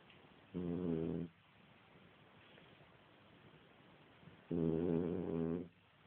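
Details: French Bulldog asleep and snoring indoors as someone tries to wake it; two rough, vibrating snores, each lasting about one second, spaced about four seconds apart with quiet breathing between.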